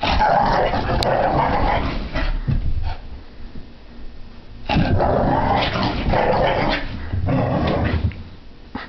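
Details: A French Brittany Spaniel puppy named Sophie, mid-zoomies indoors to burn off pent-up energy, gives two long bouts of harsh rumbling growls with short gruff yips, separated by a quieter pause with scuffling.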